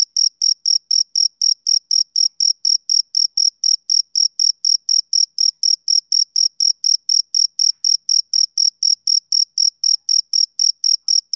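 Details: Steady chirping of a male cricket, a summer-evening sound: bright high-pitched pulses at roughly four per second, unbroken and regular throughout, nothing else audible.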